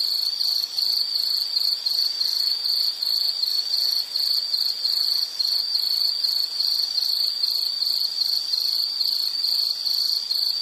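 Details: High-pitched insect chirping from a calming nature recording: rapid pulses grouped into short bursts, repeated several times a second, constant and shrill, with a faint hiss beneath.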